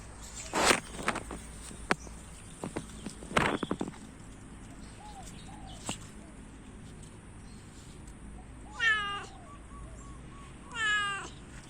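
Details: Orange domestic cat giving two clear, wavering meows near the end, about two seconds apart, after a stretch of scattered clicks and knocks in a quiet room.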